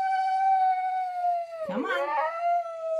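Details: Siberian Husky sustaining a loud, clear tonal howl for three seconds, pitch sliding slowly downward, interrupted midway by a brief rough, wavering break before the smooth tone resumes.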